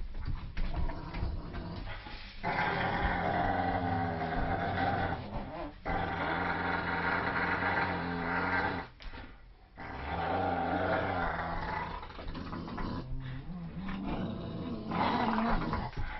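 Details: Dogs described as a Staffordshire Terrier, German shepherd and poodle mix growl during tug of war: rough, rumbling growls in long, sustained bursts, broken by brief pauses near six and nine seconds.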